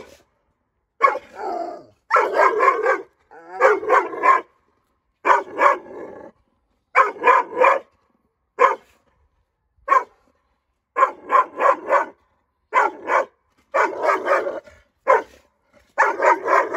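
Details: Nine-month-old female Dogo Argentino, aggressive toward strangers, barking fast and harshly in clusters of two to four barks with brief gaps, with some growling edges, continuing throughout.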